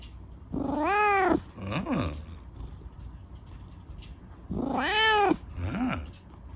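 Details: Chico, a rescued kitten lamed in an accident, being scratched by dad before bed, gives two long drawn-out meows that rise and fall, each followed by a short chirping meow, in a quiet room with soft background hiss.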